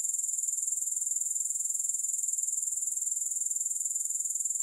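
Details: Continuous shrill grasshopper buzzing, evenly pulsed and high-pitched, holding at a steady level throughout with no music or other noise.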